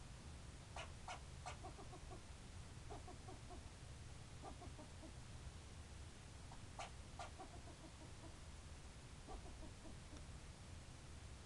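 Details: Squirrel barking: bursts of short, harsh, clucking notes that start with a sharp click and trail off in quick fading series. The bursts recur several times over a steady low rumble of background noise.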